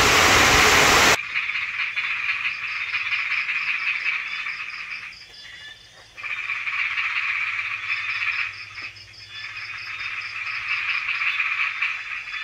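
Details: At night during heavy rain, on the first night in a new house at Ban Bo Noi, Chiang Kham district, Phayao, Thailand, a dense chorus of frogs calls loudly with a continuous high rattling trill of rapid repeated notes.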